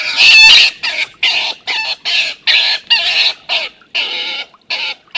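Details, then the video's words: Two stone martens clash as older Milton drives off young Martin, livestream recording of 21-04-18. A loud opening shriek is followed by a steady series of harsh, rasping squalls, roughly two per second. "Milton beats up Martin bad (Stone marten/Steinmarder/Husmår)"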